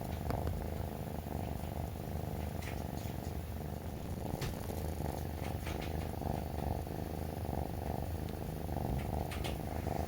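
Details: Purring of a rescued male brown tabby kitten, three months old, that rubs against its owner in the morning while food is prepared; a continuous deep, even rumble with occasional faint clicks and rustles of contact.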